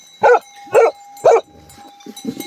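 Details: Tibetan Mastiff (Bhote Kukur) at a herders' shed (goth) in Nepal, giving three loud, deep barks about half a second apart, each short and harsh, then quieter rustling and faint low sounds afterward.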